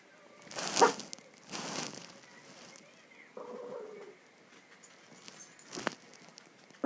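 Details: Minchie, a very old female Shih Tzu and Pekingese mix born in 2002, demanding a bigger bed and someone to sleep with; one short, tonal whining grumble midway, framed by rustling, crinkling bedding and soft thumps.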